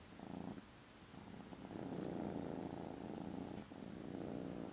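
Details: Contented foster kittens snoozing after lunch on Friday 18th December purr loudly, the low rumble pulsing in breath-length phases, quieter on each in-breath and fuller on the out-breath.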